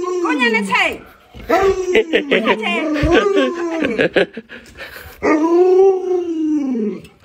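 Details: Household Alaskan Malamute responding to an owner too sick to get out of bed; its looping, talkative howls rise and fall while a person speaks over the middle section, ending on a long sustained howl.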